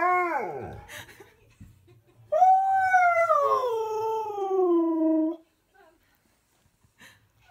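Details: Husky cross malamute singing to a television advert with a friend, in a small room: a falling whine, then after a pause a loud sustained howl sliding slowly downward for three seconds, with faint voices and laughter.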